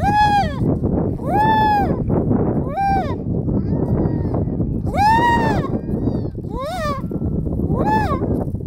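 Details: Close-up of a young harp seal pup, 2019: repeated bleating, arched wails, some longer and some clipped short, one ending in a wavering quiver, against strong continuous wind.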